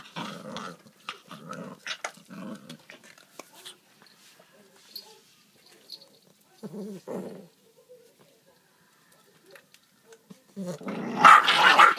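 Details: Domestic dogs quarrel over a jokbal bone with short, snarling growl bursts early on, then near silence, and finally a long, loud, noisy snarl. A person's Korean voice comes in briefly between the growls.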